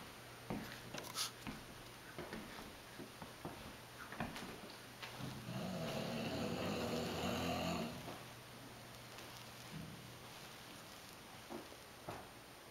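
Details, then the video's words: Jack the bulldog napping in a La-Z-Boy recliner, his snoring loud enough to carry across the house: rapid rattling snores swell into a long drawn rumbling snort, with clicks and faint household noise throughout. "Jack the bulldog snoring in La-Z-Boy"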